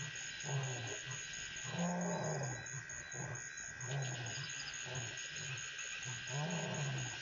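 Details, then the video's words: Lion roaring at night around 9 PM on 13 February 2014 at Pete's Pond, Mashatu Game Reserve, Botswana; deep, low grunting roar bursts repeat roughly every second or two over a steady hiss, with frog-like croaks in the background. "Lion's Roaring"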